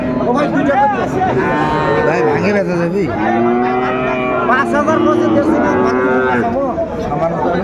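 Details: Sahiwal cattle and bull calves at a market visited by a Chattogram farmer on 17 January 2025; dense chorus of sustained, wavering moos from several animals overlapping, with market chatter in the background.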